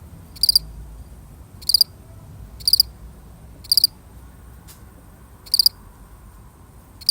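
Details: One lonely cricket keeps up short, sharp chirps of rapid clicking pulses, six bursts roughly a second apart, with a brief faint tap partway through.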